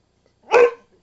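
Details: One loud, abrupt bark from Missy, a pet dog, rising quickly and cutting off, in a quiet room.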